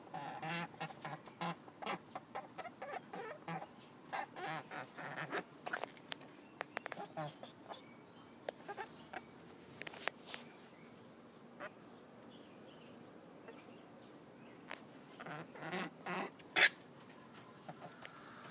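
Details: Californian rabbit doe, due for her first litter in a few days, makes rapid, dry hacking bursts in uneven clusters while a person speaks softly to her.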